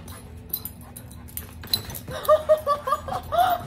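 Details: ['Old English sheepdog whimpering while playing and bumping heads with a sheepadoodle; after a quiet stretch come about six short, high, nasal whines in quick succession, each a brief rising-falling cry, over a steady low hum.']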